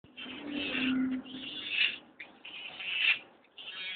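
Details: A pet striped hyena cub gives strained, bleating squeals in short bursts at feeding time, as a person speaks softly nearby coaxing it.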